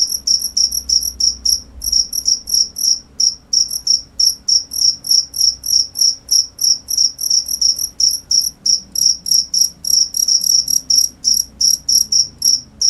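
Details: Shrill cricket chirps in quick succession, roughly three per second, somewhat irregular spacing with brief pauses, bright high-pitched pulses over a faint low rumble.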